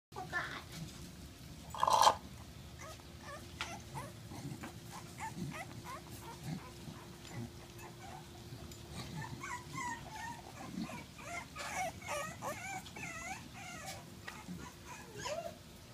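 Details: Staffordshire Bull Terrier puppies, 26 days old, playing, give high, thin whines and squeaky yelps in quick, overlapping bursts.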